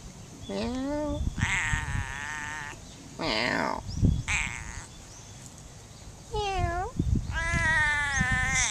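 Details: Free-roaming cat in Funakoshi, Japan, meowing back while a person talks to it: drawn-out, wavering harmonic meows, some rising then falling, others with a bent upward turn, alternating with the person's voice.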